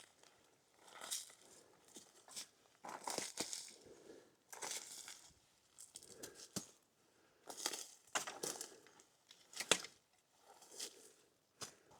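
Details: Bursts of crinkling and crumpling, like plastic or paper being handled indoors, with no animal sounds. Brief pauses separate the bursts.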